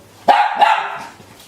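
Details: Small dog barking indoors while its trainer practises going in and out of the door; two quick sharp yaps in close succession, the second trailing off.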